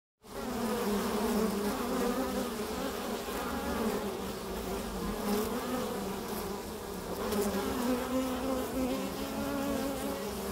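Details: Carniolan honey bees, Kranjska sivka, foraging on pasture: a dense steady buzzing of many wings, low hums layered around overlapping drifting tones, with brief faint ticks and no other animals standing out.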